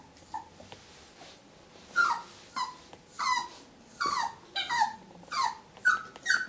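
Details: Whippet Muffin confronting the stranger in the mirror, its own reflection, in a small room: after a quiet start, sharp descending whimpers and yips come in short bursts, spaced roughly half a second to a second apart.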